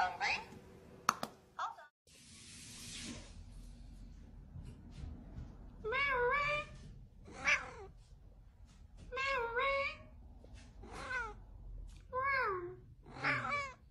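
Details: Talking house cat meowing in a noisy indoor setting, a run of six arched, bending meows from six seconds on, spaced about one to one and a half seconds apart, after earlier clatter and a hiss-like rush of noise.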